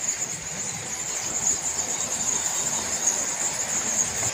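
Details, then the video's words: Countless bats hidden in the dark of a big cave in the Kandali hills of Nagaon, Assam, give a constant shrill squeaking chorus, a steady high whine with rustling noise below and no clear gaps. "এয়া বাদুলিৰ মাত আৰু তেওঁলোকে অজস্ৰ বাদুলি আছে।"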